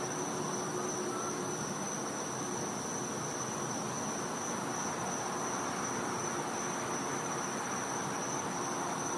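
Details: Continuous shrill cicada drone on a winter night in a Florida back yard, one steady high note with no breaks, set against a broad hiss.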